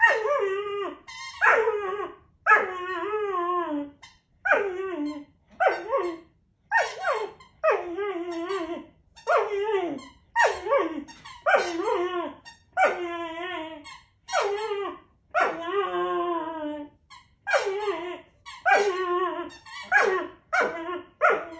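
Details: Puppy whining with a squeaky toy, as he does with any squeaky toy; steady run of short, squealing harmonic whines, each dipping in pitch, repeated roughly every second.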